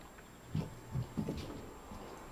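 A French Bulldog gives a few short, low, pig-like grunts and snorts.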